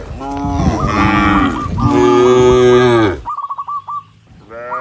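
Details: Dozens of tame cattle move up a country road to the barn, mooing to call other cattle; loud, deep moos from several animals for three seconds, then a run of quick chirps and a final moo.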